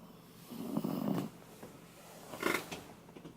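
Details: Shiba Inu named Koume, filmed while asleep, snoring like an old man: a breathy, rasping snore of under a second, then a shorter, sharper snort-like burst about a second later.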